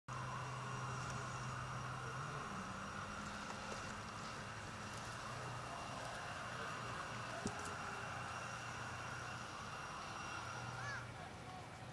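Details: Steady mechanical hum and background noise at the Port of Nagoya Public Aquarium, with faint tonal whines and a brief knock near the middle; no animal voices stand out.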